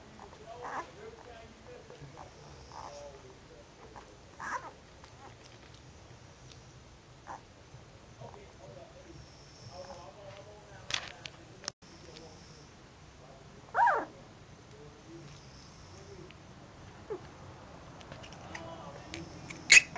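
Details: Puppies in their second week at a kennel give brief, scattered high squeaks and whimpers, a few louder yelps standing out over a soft background of rustling and handling noises.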